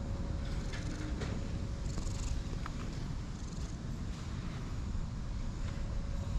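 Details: Grumpy-faced light brown and white cat enjoying being stroked and rolling about, giving a deep, even purr throughout, with soft rustles and brief clicks of handling.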